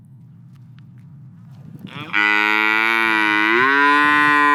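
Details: In a pasture, a black and white cow starts a long, steady moo after two seconds of low background rumble; the moo swells and lifts slightly in pitch partway through and continues to the end.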